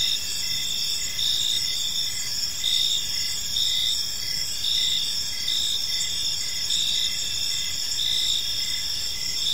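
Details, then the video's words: Crickets chirping in a peaceful park as evening falls, a steady high-pitched chorus of layered trills with short chirps pulsing over a continuous shimmering drone, soft background hiss, no other clear sounds. "Cricket Sounds in a Peaceful Park"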